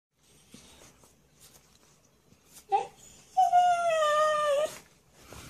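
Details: A pet Siberian Husky indoors, reacting with disapproval to its owner's beatboxing: a short yelp, then a drawn-out, steady, whining howl lasting over a second that sags slightly at the end, in a quiet small room.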